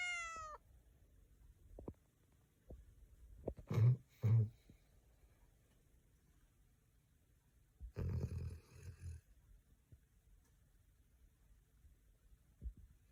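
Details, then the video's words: A Golden Retriever, exhausted at the end of a week, sleeps crashed on a couch and snores in low, rumbling breaths spaced a few seconds apart. "Funny Dog Video of Golden Retriever Snoring! 💤"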